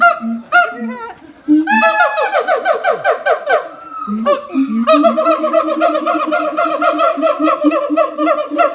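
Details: Siamang parents singing together in high and low harmony while their young one stays quiet; the call is said to carry 4 km. Fast barking notes break into a rapid run of rising whoops, then steady, regular loud hoots.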